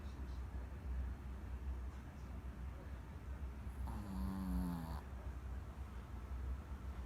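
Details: A sleeping Pomeranian dog gives one loud, drawn-out, rasping snore midway, with a low steady hum underneath the whole time and quiet breathing around it.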